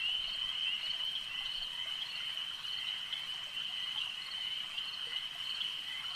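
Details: Lakeside frogs in full chorus, many overlapping shrill trills blending into a steady, even high drone with small pulses of intensity.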